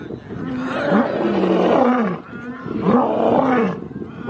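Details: Lion. Two long, throaty roars from a lion rise and sag in pitch, separated by a brief pause. Each swells to full strength before trailing off into a rough, breathy fade.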